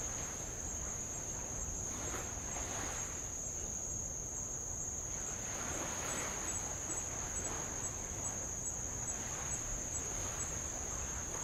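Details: Tongan insects along the old lava coast of Avalau, Kingdom of Tonga: a sustained shrill buzzing tone continues without break while light waves wash in and out in soft, repeated surges.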